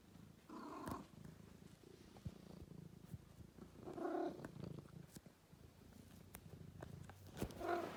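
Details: Domestic cat purring indoors: a soft, low rumbling purr runs through the recording, with a few louder breathy bursts and light clicks and handling noises.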